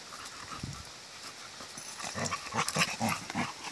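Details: Four-month-old Rottweiler mix puppy romping with her collie mix mother; rapid breathy bursts of panting, roughly four per second, grow louder and more broken toward the end, mixed with soft low scuffling thumps of play.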